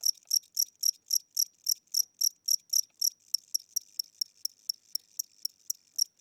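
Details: Inside a home at night, a tired old cricket chirps in a slow, regular beat of shrill high pulses, around four per second, the later chirps shorter and quieter than the first ones.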